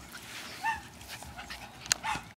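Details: Puppies playing outside in the afternoon, four of them, three females and one male: a few short, high, whistle-like yips and whines, each briefly rising then falling, among soft scuffling, with a person calling nearby.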